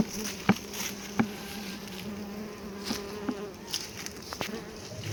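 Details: Honey bees buzzing during a litchi honey harvest on a bee farm: a steady low hum with a fainter overtone above it runs throughout, broken by several sharp knocks and clicks of hive handling.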